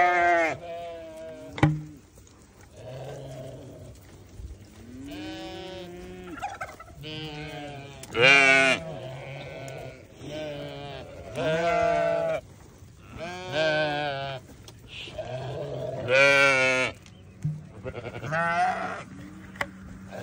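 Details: Chorus of newborn lambs, with shaky bleats rising and falling, some high and strained, arriving irregularly about every second or two, with a low background drone.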